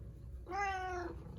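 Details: Domestic cat Karu-chan, following its owner everywhere, gives one clear drawn-out meow of about half a second, steady then slightly falling, against a low background hum while a woman apologises and tells it to give up.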